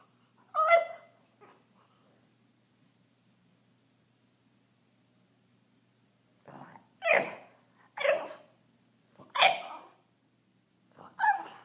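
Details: A French Bulldog indoors, struggling to reach a tennis ball on a couch. It gives short, rough bursts of bark and grunt, one near the start, then five more spaced about a second apart after a pause.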